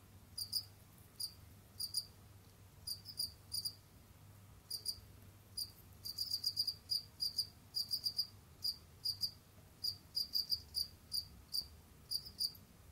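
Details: Pet Gryllus assimilis field crickets chirping while they roam and dig: bright, high pulsed chirps, singly or in quick runs of three to five, dense in the middle stretch, against a faint low hum.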